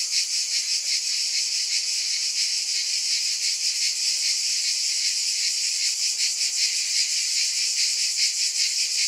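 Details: Cicada chorus forming a high, even, rasping buzz with gentle rapid pulsing at about two to three per second throughout.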